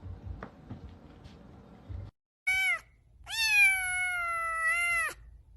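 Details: Pet cat indoors: a soft rustle, then a short bright meow followed by a long, loud, steady meow lasting about two seconds, slightly falling at the end.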